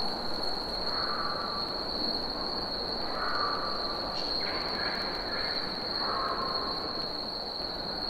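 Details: Summer cicada chorus: a continuous shrill, even drone at a fixed high pitch, with a few short mid-pitched whistled notes from other birds and a soft rushing background.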